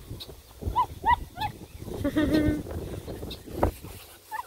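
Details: Redbone Coonhound pups at play with a Bluetick Coonhound puppy: three clear arched yips in quick succession, then a wavering squeal amid scuffling and low thuds of the romp.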